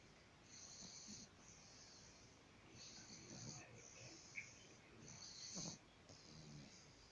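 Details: Snoring bulldog, each breath a raspy, whistling wheeze lasting around a second, repeating at an uneven slow pace with soft guttural rumbles underneath.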